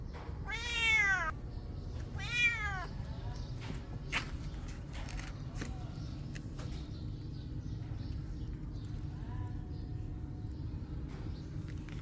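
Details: A hungry cat with an injured head screaming for food: two loud, long harmonic meows with arching pitch near the start, then a faint shorter meow around nine seconds, over steady low background hum and scattered clicks.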